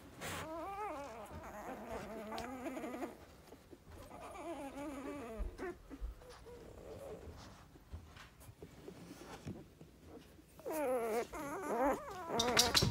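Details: Eight-day-old Dalmatian puppies, eyes not yet open, whine and squeal in wavering, high-pitched bursts.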